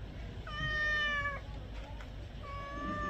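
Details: House cat being bathed, calling with a sustained flat meow of nearly a second, followed after a pause by a second, softer meow that trails off; low household rumble underneath.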